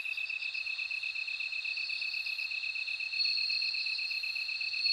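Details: Bell cricket singing in a dense insect chorus: two steady, high ringing tones hold throughout, overlaid by rapid pulsed trills, and the chorus grows louder after about three seconds.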